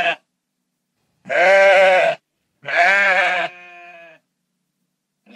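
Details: Rural sheep bleating, two strong quavering cries close together, the second trailing off into a softer, thinner tail, with silence between calls.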